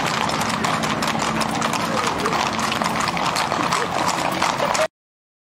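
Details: Many horses clatter along in the gaucho cavalry procession for San Isidro Labrador in Durazno, their quick overlapping hoof strikes forming a steady clattering stream under murmuring voices, ending abruptly in silence.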